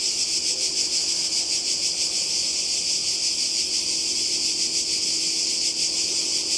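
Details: High, hissing chorus of cicadas on the Croatian coast in summer 2020, continuous and even, with a faint shimmering pulse in the buzz and a weak low tone in the background.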